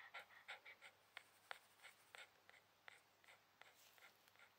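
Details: Shiba Inu resting on a towel, breathing in quiet, uneven panting puffs with short pauses, a few sharper clicks between breaths, in a small quiet room.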